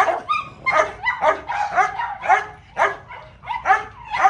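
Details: Playful little dog, one of the pets Simba and Mayo, with Mayo playing with a hose. Bright, shrill yips with clear tones, about two each second and slightly uneven, over a quiet background.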